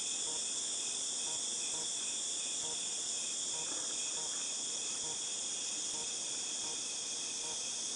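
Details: Cicadas in August 2018 drone in a loud, constant, high-pitched hiss, with quieter lower pulses repeating at a steady beat under the chorus.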